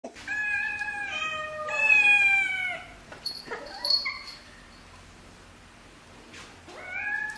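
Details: Cute, adorable cat giving a run of drawn-out, clearly voiced meows in the first three seconds, some wavering and falling, then scattered softer sounds and a short rising meow at the end.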